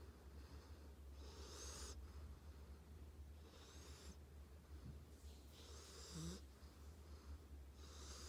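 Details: Sleeping dog Tank snores in slow, even breaths: airy whistling wheezes about every two seconds, with a brief low snort near the end against a constant low background hum.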